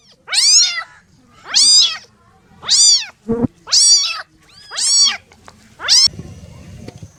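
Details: Repeated kitten mews, six bright rising-falling cries roughly every second, with a short low thump midway and faint background rustle toward the end.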